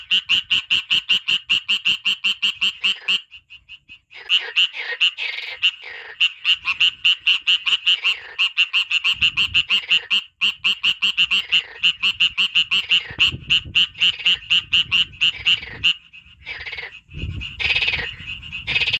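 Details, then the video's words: Frog calling in the wild nature of Kurdistan: loud rapid trains of clicking, rattling pulses, bright and dense, in long runs broken by short pauses, with some rougher bursts near the end. "دەنگی بۆق ـ لە سورشتی کوردستان ـ The sound of the frog in Kurdistan nature"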